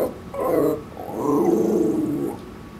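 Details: Male Shih Tzu Maltese mix warbling in protest at something beyond the backyard, two drawn-out, low, moaning growl-like phrases, the second longer and wavering, indoors with little else heard.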